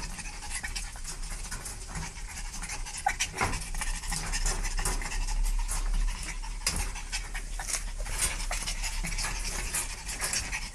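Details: Dog panting quickly and unevenly, roughly 167 breathy huffs a minute, each a soft broadband rasp, with a steady low rumble underneath throughout.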